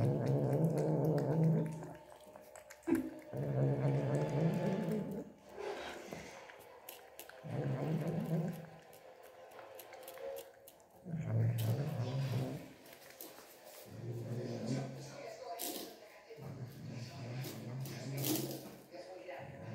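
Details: Domestic cat, angry while drinking milk, growls repeatedly; low, droning rumbles in bouts of one to two seconds, recurring through the recording with short quiet gaps and occasional clicks between them.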